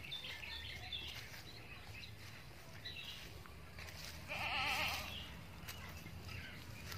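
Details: Bety Kros bor goat in Karanganyar near Solo, Central Java, Indonesia, gives a single wavering, nasal bleat lasting under a second midway through, over a steady hum of background noise.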